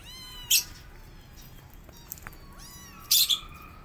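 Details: Kittens pressing their mother cat to feed them while she is upset: thin, high meows with falling tones, and two sharp, harsh bursts about two and a half seconds apart.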